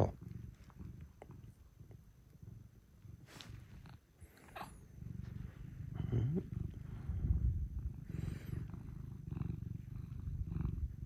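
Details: Pet cat purring at close range indoors in the early morning, coming to wake its owner: a steady, low rumbling purr that runs the whole stretch, growing louder in the second half, with faint rustling.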